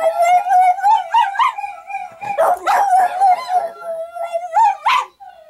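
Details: Pet dog howling in reply to other howling dogs heard from a screen: quavering mid-pitched howl broken by short yelping bursts, ending in a rising yip and fading away.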